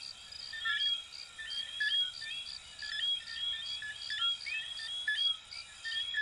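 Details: A chorus of coquí, the small frogs of Venezuela and Puerto Rico, with many callers overlapping: bright clipped chirps and brief upswept whistles repeat roughly every second in layered bands over a quiet background.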